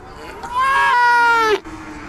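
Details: A cute little calf gives one loud, bleating moo of about one second, rising slightly then sliding down at the end, strong and clear against a quiet background.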